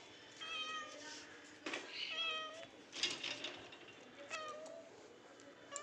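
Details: Pet house cat at home giving several short rising-falling meows, spaced unevenly over a few seconds, while a woman repeatedly calls it to come up to the roof.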